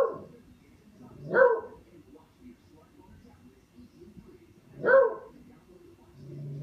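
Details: Buster the dog playing with a katydid bug, giving two short, sharp barks about three and a half seconds apart, each a loud burst rising out of a quiet, low background murmur.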